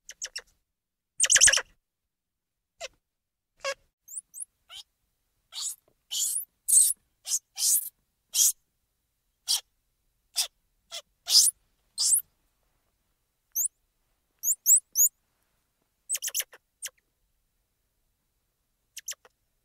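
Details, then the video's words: Squirrel monkeys chattering with a run of shrill chirps and clicks packed closely mid-recording, scattered thin rising peeps high above, and a brief lower voiced burst near the start. "SQUIRREL MONKEY SOUND - Squirrel Monkey Noises"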